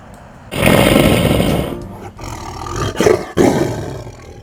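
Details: Captive big cat at a wildlife refuge showing attitude toward its keepers: a loud, broad roar lasting about a second, then two shorter harsh bursts a moment later.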